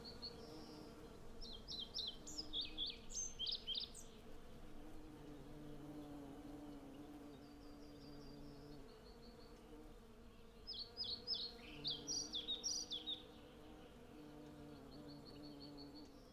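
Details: Hundreds of western honey bees collecting honey from a blossoming cherry tree: a steady low droning hum with layered harmonic bands throughout, while bursts of bright, chirping birdsong rise over it around the second and twelfth seconds.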